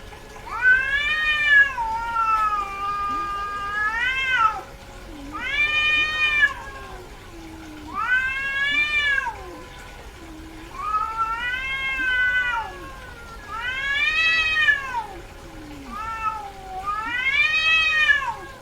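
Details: Domestic cat, female in heat, wailing insistently: about seven loud, arching meows, roughly every two to three seconds, each rising then sliding down, with low moaning between calls and a faint constant hum.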